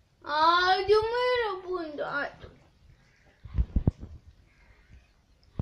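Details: Toy Pomeranian puppy kept indoors in Kathmandu, Nepal, whining because it wants to go out: a long, high, wavering whimper lasting about two seconds that slides gradually downward, then soft thumps and taps in a small room.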